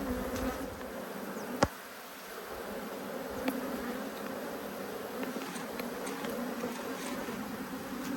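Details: Two honey bee hives, irritated by a beekeeper's inspection, hum with a steady, dense droning buzz. A single sharp click from the hive woodwork cuts in early, then the even hum continues.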